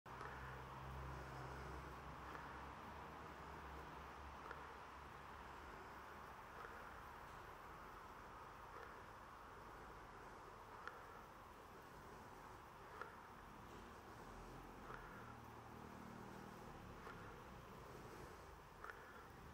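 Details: Bees recorded on 28 September 2023, a steady dense hum filling the whole stretch with a broad midrange drone, faint low rumble like distant traffic underneath, and a few soft ticks scattered through.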